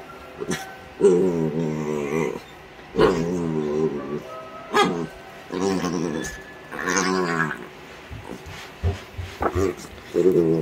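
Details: Playful yellow Labrador Retriever puppy grunting happily while playing, in drawn-out, wavering, harmonic grunts of about a second each, repeated four times with short gaps, over background music and a man's voice.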